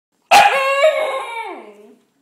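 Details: Siberian Husky puppy, female, crying after being shut out of the house for being muddy; one loud, high, harmonic-rich whine that starts abruptly, holds briefly, then slides downward and fades over about one and a half seconds.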